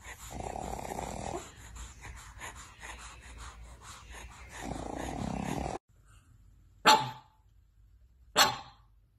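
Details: Pug puppies: a rough, growly stretch of low grumbling comes first, then after a pause two short, sharp high yips about one and a half seconds apart, with faint voices in the background.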